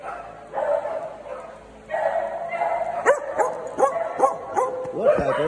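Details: Small dogs in a Saturday morning daycare group bark in short, sharp bursts, several rapid yaps in the second half, after a few seconds of human voices at the start.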